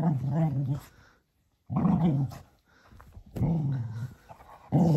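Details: Cocker Spaniel, a male, playing rough with a toy donkey just before bedtime: deep rumbling growls in three sustained bursts, each wavering in pitch, separated by a brief quiet gap, in a small indoor room.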